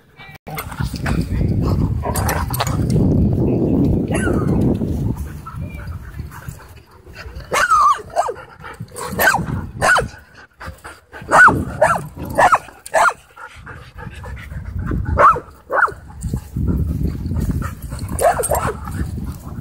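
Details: Husky Shepherd mix playing wild at a dog park; sharp barks and yips come in quick, uneven bursts through the middle stretch, framed by low rumbling scuffles and movement noise at the start and end.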